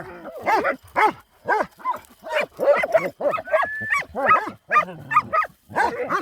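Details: Farm Kangal dogs attacking at night, barking at a hedgehog in the dark: loud, ringing barks repeated roughly twice a second, with a brief high whine near the middle.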